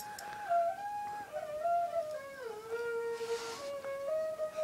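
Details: A lone flute melody plays in a small room, with no animal voice heard.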